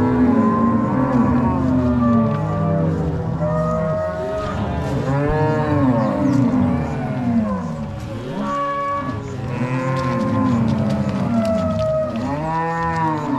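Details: Angus-Nelore crossbred cattle herded from the corral to pasture by three cowboys and six dogs at a Paraná farm, Brazil, 16 March 2022; continuous chorus of low, arching moos from many cows, one after another.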